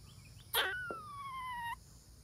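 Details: Serena, a female squirrel in heat, calls out to the neighborhood: a sharp burst opens into a long, clear whistled tone that slides slowly downward for about a second, with faint background hiss.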